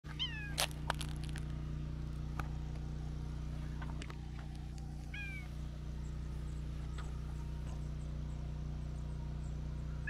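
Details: A tortoiseshell cat, possibly a stray, walking alone outdoors, gives a couple of soft, short, reserved meows while seeking affection from a person, over a steady low hum.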